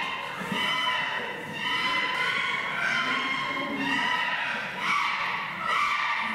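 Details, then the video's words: Chimpanzees in a zoo enclosure just before feeding time, as young male Kibali noisily challenges leader Jambo for leadership: loud overlapping harmonic screams rising and falling in waves, with a brief thump early on. "Noisy hairless chimp"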